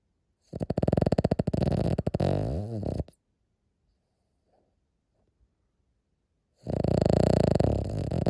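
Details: Cavalier King Charles Spaniel asleep and snoring quite loudly indoors, two long rattling snores, each about two and a half seconds of fast, buzzy vibration, split by a quiet pause of about three seconds broken only by faint clicks.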